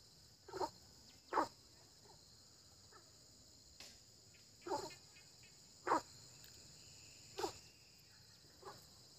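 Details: Frogs croaking in early spring: short, single croaks spaced irregularly, about one every second or two, some louder and some faint, over a steady high insect-like buzz.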